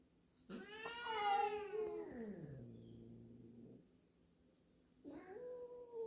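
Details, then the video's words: Black house cat wary of a new black-and-white cat at their first indoor meeting; a loud, long, wavering meow falling into a low moan, then after a pause a short rising meow begins. "Introducing two cats in the home, They started meowing at each other"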